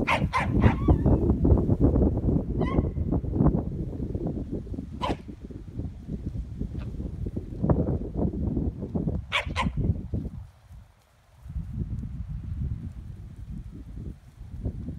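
Short, sharp corgi barks come in irregular bursts as the dogs work livestock. A steady low rumble with thumps and knocks runs underneath most of the time, nearly covering the barks.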